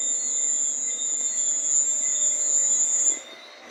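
A cricket sings a continuous, very high, shrill trill with no audible pauses. It runs evenly for about three seconds before cutting off, leaving faint background hiss.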